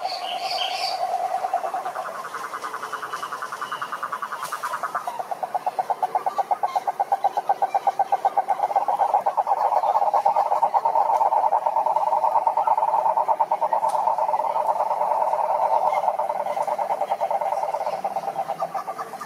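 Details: Toads trill in a long, continuous croaking chorus of rapid pulses at a steady pitch. A short higher chirping call is heard at the very start, before the massed rattle swells and holds.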